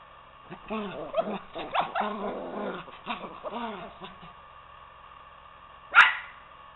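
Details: Two poodles, Toby and Lucy, wrestling as Toby tries to get Lucy off the couch to play: a rapid series of rising-falling play growls and grumbling yaps for about three seconds, then quiet and one sharp thud.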